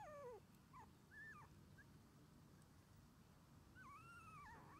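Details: Red male Shiba Inu puppy, born 24 January 2021 and 21 days old, an only pup whose sole playmate is its mother, starting outdoor play: thin high whines sliding down and up in short separate bursts over a low rumbling background.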